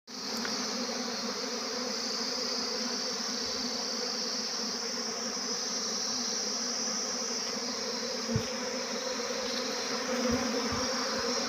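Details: Swarming honey bees, a dense steady buzzing drone with a strong hum band and a bright high whine, unbroken for about eleven seconds, with a couple of faint low knocks near the end.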